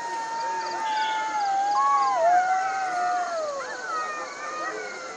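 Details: A jackal's long, wavering howl, a thin, steady tone that dips and bends before a higher wail joins it, with faint yips from others in the background.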